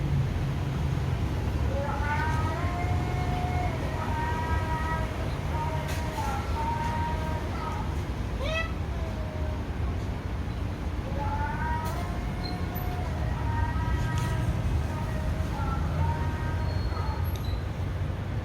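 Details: Wild cats, described as orphans whose mother died and still wary of people, give a series of thin, tonal meows that rise and fall, about seven calls in bursts over eighteen seconds, over a steady low engine-like rumble and some speech.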